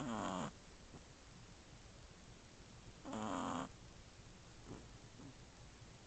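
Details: Shih Tzu puppy aged one month and three weeks asleep and snoring with its sisters nearby; two short, low, rattling snores roughly three seconds apart, with quiet breathing noise between them.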